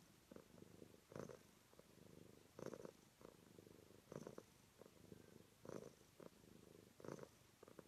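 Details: Domestic cat purring close up, a soft low rumble swelling into louder bursts roughly every one and a half seconds as the cat breathes in and out, with quieter rumbling in between.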